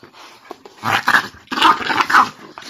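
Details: Mochi, a Boston Terrier and French Bulldog mix, challenges Curro to a playful wrestling match, giving two loud, rough growling bursts about half a second apart with harmonic mid-range tones, separated by brief quiet gaps.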